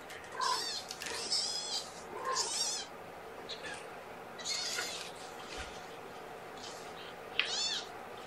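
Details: Newborn kittens from a litter of five born April 14th, crying during a morning formula feeding indoors; repeated thin, high, wavering meows in quick bursts over a steady room hiss, one sharp click.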